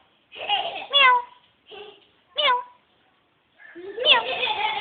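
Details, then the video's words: Domestic cat meowing as a person calls it and imitates meows: short, bright meows that slide downward, mixed with human speech and a louder, rough burst of voice at the end. "kitty meow"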